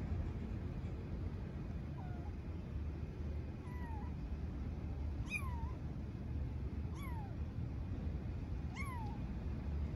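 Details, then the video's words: Homeless street kitten in Istanbul meowing for its mother cat. Five high, downward-bending meows come roughly every one and a half to two seconds, growing stronger, over a constant low traffic hum. "Kitten living on the street meows for mother cat"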